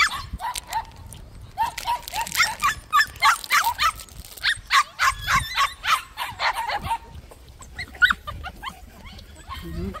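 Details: Several white puppies in a plum orchard yip over and over, bright high squeaky cries at a fast uneven rate, about three or four per second, with brief human speech mixed in.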